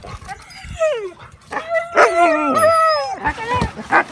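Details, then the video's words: Huskies asked whether they want to go for a walk answer with a short sliding whine falling in pitch, then wavering yips and vocal whines, with sharp broadband bursts between calls. "Husky Wants to Go on a Walk?"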